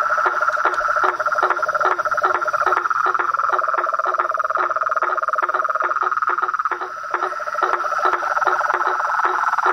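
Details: Frog chorus from toads, frogs and treefrogs in the wild: dense clicking pulses, about two per second, over a continuous high buzzing drone and a lower pulsed trill.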